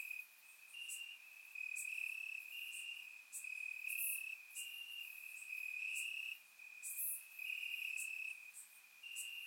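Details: Night chorus of crickets in Bulgarian grassland on a warm summer evening: a near-continuous high-pitched trill broken into overlapping bursts, with brief sharper clicks from other insects, surround-microphone recording.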